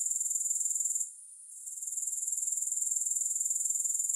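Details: Shrill, sizzling grasshopper trill pulsing about four times a second, cutting out for half a second after the first second before fading back in to full strength. Nothing else is audible.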